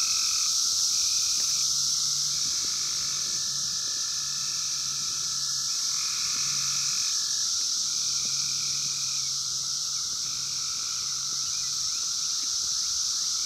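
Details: Chorus of 17-year Brood X periodical cicadas in the wild during the 2021 emergence, recorded on a phone: a dense, steady high-pitched droning wall of sound with overlapping buzzy phrases rising and falling every few seconds.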